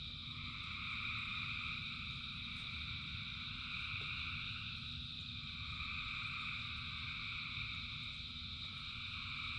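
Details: Dense chorus of frogs calling in rain, a steady layered trill holding several high bands without pause, over a constant low rumble of rain and background noise.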